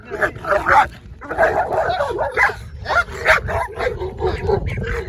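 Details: Dog barking in a confrontation with a Cane Corso, with rapid, rough barks and yelps tumbling over one another above constant low background rumble.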